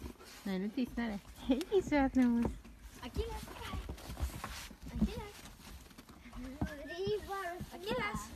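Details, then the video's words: An Alaskan Malamute from Sweden sings in wavering, drawn-out woos that bend up and down in pitch. "ALASKAN MALAMUTE 🐶 Singing 🎶"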